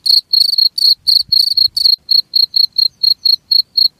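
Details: High cricket chirps come about four per second: rough, buzzy bursts early on with some soft low rustling, then lighter, purer pulses spaced evenly.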